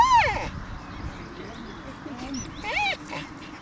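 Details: Playful dogs in a Mariehamn dog park, Åland Islands, 30 April 2012, give a sharp arched whine at the start and another rising-falling yelp near the end, with soft low background murmur between.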